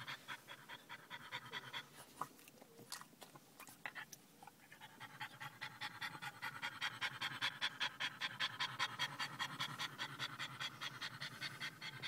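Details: French Bulldog panting after a short car drive to a pet store, excited by people's attention; rapid rhythmic breathy pants, about two and a half per second, growing louder and steadier through the second half.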